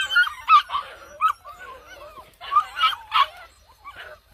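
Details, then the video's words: Malinois puppies attacking in play: a string of high yelping barks and whiny growls, in two clusters of loud bursts separated by quieter grumbling. "Malinois puppies attack"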